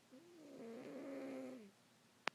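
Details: Domestic cat snoring in its sleep indoors: one long, wavering harmonic breath of about a second and a half, then a quiet pause and a sharp click.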